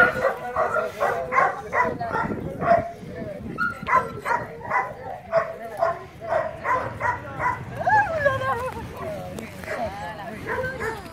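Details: Several dogs and puppies excitedly welcoming visitors, a steady run of short barks every fraction of a second, later giving way to wavering, rising and falling whines, with people talking underneath.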